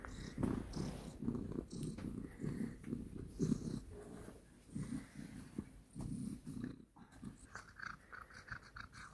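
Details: Domestic cat purring indoors, low rhythmic pulsed rumble for the first several seconds, then fading into softer rustles and brief higher clicks and scratches.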